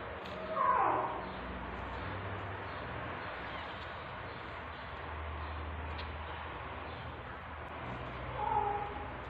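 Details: During the birth of kittens, a tabby cat gives two short, lower-pitched meows several seconds apart, with a low hum and quiet movement sounds between them.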